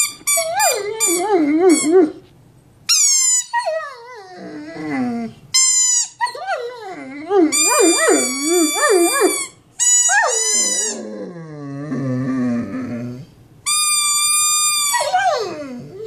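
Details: Ruckus, a big Mastiff, howls at home in a high, wavering, yodel-like voice. The pitch slides up and down through about six drawn-out phrases, each split by a short pause, with no other clear sounds.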